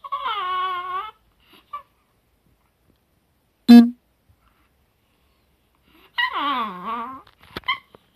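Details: Rana the Chihuahua, recorded June 2018, gives two drawn-out, tremulous whines about five seconds apart, the second sliding downward, with a sharp knock between them and brief yips after.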